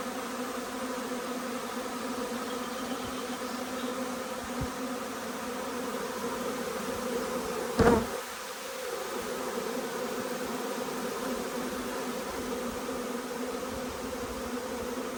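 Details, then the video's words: Arriving honey bee swarm filling the air with a constant droning hum of countless bees, interrupted once by a sharp knock midway before the buzzing carries on steadily. "Huge swarm arrives, magnificent as always!"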